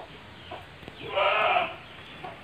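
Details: Single drawn-out, slightly nasal bleat from a goat penned with three large pregnant does and a young buck in Ngrambingan village, Panggul, Trenggalek, with quiet background hum around it.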